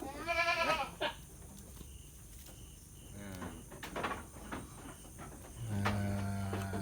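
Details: A goat at Indatu Farm, Lhokseumawe, Aceh, gives one strong, trembling bleat at the start, followed by quieter barn noise, a few soft clicks and a steady low hum near the end.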